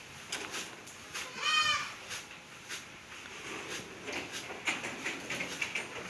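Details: Single bright, wavering bleat lasting roughly half a second from a Black Bengal goat on a mother-goat farm in Pangsha Thana, Rajbari District, where goats fight and feed on Napier grass; rustling and thumps surround it.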